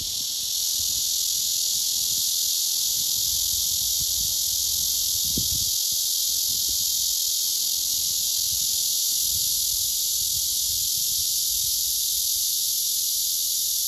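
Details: Rasping nonstop buzz of a male blackish cicada's courtship song, aimed at a female that ignores him and later pushes him away; a brief low thump sounds in the middle.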